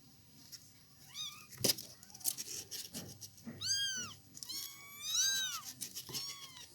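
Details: Village kittens mewing indoors: thin, high arching mews in short bursts, a few overlapping, with scattered knocks and handling noise between them.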